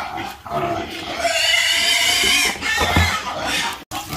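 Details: A pig on a farm lets out one long, sustained, shrill squeal that wavers in pitch for over a second, framed by softer grunting before and after.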